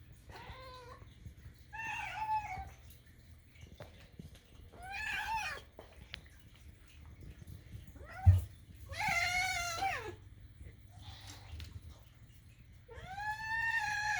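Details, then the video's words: Indoor cats begging for food with odd kitten-like sounds; a series of about six meows, some short and rising-falling, one long and wavering, spaced one to three seconds apart, with a soft thump midway. "makes weird kitten sounds (funny cats meowing for food)"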